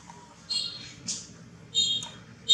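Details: Hungry newborn baby monkey giving short, high, thin squeals in several bursts, each lasting about a quarter to half a second, with a faint low hum underneath.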